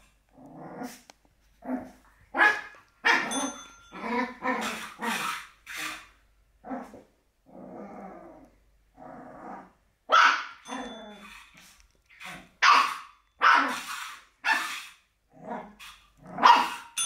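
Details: Playful black Shih Tzu puppy reacting to a bell with a long run of high yapping barks and low growly grumbles, irregular bursts with short pauses, faint bell ring near the middle.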